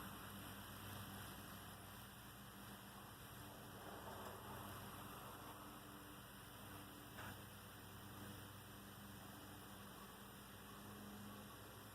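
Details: Only a constant low rumble and hiss are heard, like passing traffic or steady rain. No bird or other animal voice stands out.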